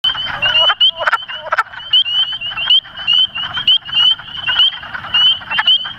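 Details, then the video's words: A chorus of wood frogs gives rapid, duck-like clucking chuckles with high rising peeps behind, recorded at night on 24 March 2017 in Cuyahoga County, Ohio. "The wood frog chuckle: a short video"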